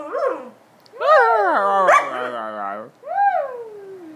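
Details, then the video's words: An Alaskan Malamute named Marble "talks" back in a conversation with its people, giving wavering, howl-like yowls that rise and fall, loud and drawn out. "Alaskan Malamute Marble talking"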